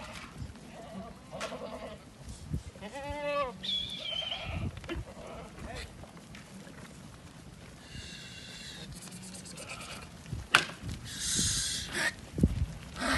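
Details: Ardi goats heard amid farm noise: a wavering, harmonic bleat near the fourth second with higher thin cries after it, along with people talking and scattered knocks and rustling throughout.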